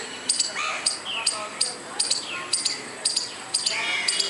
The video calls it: squirrel making noise without any reason